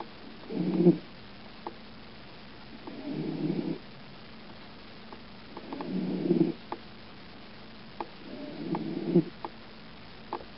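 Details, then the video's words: Lulu, a pet cat, sleeping in a cat carrier in the dark, snoring softly: four low rasping breaths spaced about two to three seconds apart, with faint clicks and rustles between them. "Lulu snoring"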